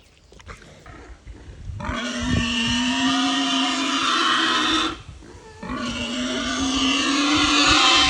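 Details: Pig at a sanctuary, vocalizing to communicate with other pigs and people, letting out a long, loud, strained squeal of about three seconds, a short break, then a second drawn-out shrill squeal rising in intensity.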